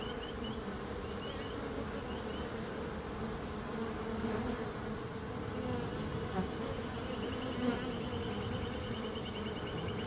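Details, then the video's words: Bees buzzing in a steady, dense low hum with no breaks. A bird's short, high repeated trills run through the first second and again after seven seconds. "Relaxing Calming Bees Sound"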